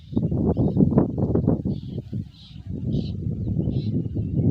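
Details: Racehorse named Raja Tanpa Nama in light training ahead of the 2023 Gayo traditional horse race: dense, rapid low thudding hoof strikes, briefly easing midway, with faint higher smudges of sound drifting above.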